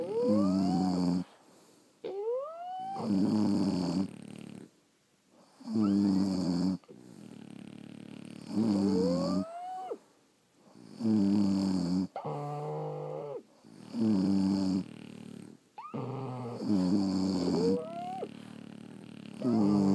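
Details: French Bulldogs snoring while asleep at home, several dogs: harmonic rasping snores about every two to three seconds, some breaths ending in rising whistled squeaks, quiet pauses between.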